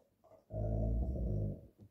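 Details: Cane Corso dog indoors in the morning, wanting to play, gives a low rumbling growl-grumble lasting about one second, deep and steady with a few harmonics, after a man's swearing and teasing speech.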